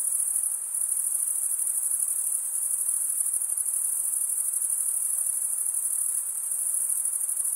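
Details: A chorus of chirping crickets, sound produced by wing stridulation, runs as one high, glittering, evenly pulsed trill throughout, with slight swells in loudness and a faint low hiss.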